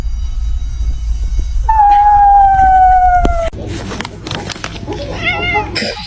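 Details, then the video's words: Indoor cat gives one long, steady meow that slides gently downward over about two seconds, then clattering, rustling and a few short squeaky sounds follow. "Kitten meowing"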